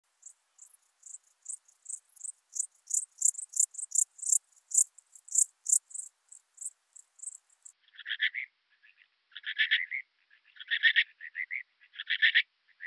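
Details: Alpine dark bush-cricket in Berchtesgaden, Germany, on 6 September 2018. For eight seconds it gives a run of short, high, scratchy chirps in quick, uneven succession. Then come lower, broader buzzy chirps in small clusters about a second apart.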